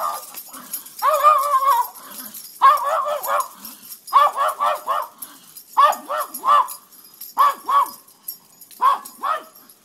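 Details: Bella, a nine-year-old black pug, goes nuts indoors as the screen door opens: a long whining yelp, then bursts of two or three sharp high barks repeated every second or two, with a voice speaking faintly.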